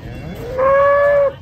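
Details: Cattle being loaded onto a truck, one clear sustained moo of about three-quarters of a second, steady and tonal with a slight rise, following a quieter lead-in.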